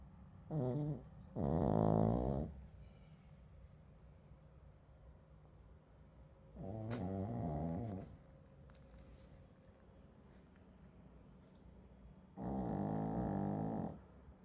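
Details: Sleeping Shih Tzu gives vigorous, gravelly snores, a short one followed by longer rumbling breaths, each lasting up to two seconds, separated by several seconds of near silence.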